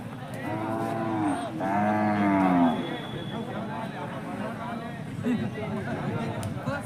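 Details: Hallikar cattle at Jodugatte cattle market, India: a drawn-out bellowing moo of roughly a second and a half, with rich stacked harmonics, early on, followed by murmuring voices and the general din of the market.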